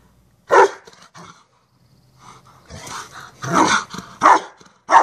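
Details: Rottweilers Merlin and Sonja at play in a chase me game, giving sharp, loud barks in separate bursts, one early and then a quick cluster of barks near the end, with quiet gaps between them.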